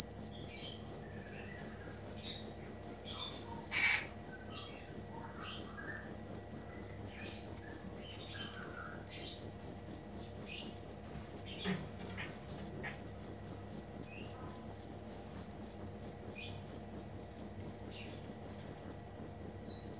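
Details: A cricket, recorded as genuine chirping for songbird tutoring, keeps up a continuous high, rhythmic pulsing for twenty seconds, broken by brief dips, with faint short chirps and a click behind it.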